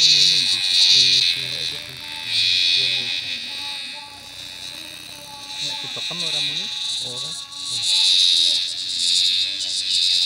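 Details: Giant cicada caught in a field, its very loud, high, shrill buzz swelling and fading in waves several times, with people talking quietly beneath it.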